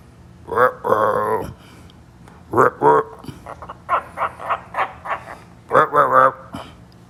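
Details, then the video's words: Tree frogs calling in what sounds like a back-and-forth exchange: short harmonic croaking bursts and quick trilled chirps in irregular clusters, with a few pauses between the runs of calls. "Tree Frogs Talking"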